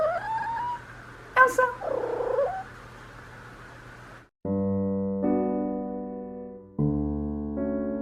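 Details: Female Ragdoll cat Elsa, aged one and a half, in her first heat, gives a few wavering tonal calls that rise and fall, after which electric piano music takes over for the rest.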